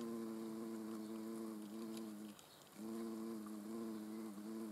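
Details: Hornet hovering near the camera in the Eifel, a deep humming buzz that breaks off for half a second midway, then resumes with slight wavering in pitch.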